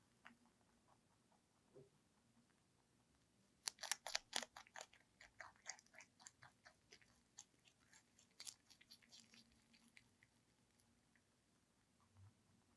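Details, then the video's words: ZZ, a pet lionhead and Dutch mixed-breed rabbit, eating celery indoors: a sudden burst of loud crisp crunches, then quieter irregular chewing clicks that slowly fade into a soft room hush. "Celebrity with CELERY / ASMR / Eating Sounds"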